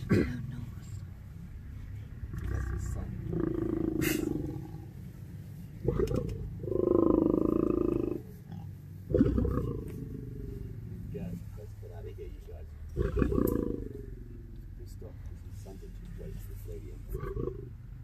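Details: Lions in a pride resting together on safari in Kenya, giving deep snarling growls in several drawn-out bursts separated by quieter gaps, with low rumbling background and some human voices.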